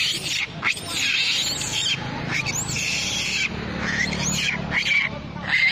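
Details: Shrill crying from a monkey mother with babies under attack by a big monkey: piercing screams arch up and fall back down, repeated in close succession with hardly any gap.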